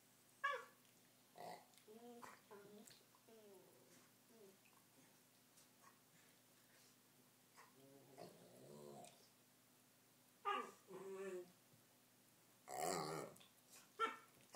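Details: Three-year-old Rottweiler playing indoors with a new puppy: bursts of whiny, growling vocalisations, short and wavering, clustered early on, with a longer rumbling growl midway and sharper, louder yelps toward the end in a quiet room.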